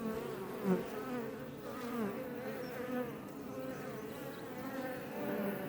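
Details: Iberian honey bees (Apis mellifera iberica) flying outside a Langstroth hive west of Roquetes, south Tarragona, Catalonia, Spain, recorded up close: a dense, steady, many-voiced droning hum with wavering pitches as individual bees pass, one louder bee near the start.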